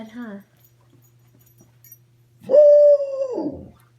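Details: Larke, a dog, greeted good morning in bed, gives a drawn-out, wavering whine-like call of about a second that holds steady then slides down, after a short burst of human speech and a low steady hum.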